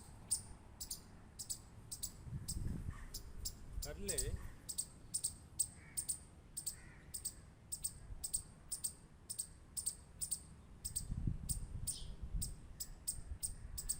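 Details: Quick, dry squirrel clicks repeat around four per second throughout, with two low rumbling bursts and a short wavering voice-like sound partway through.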